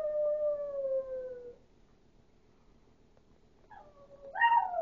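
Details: Howling Chihuahua Duke, said to sound like a wolf, holds a falling tone for about a second and a half, goes quiet, then breaks into a short wavering cry that jumps sharply higher at the end.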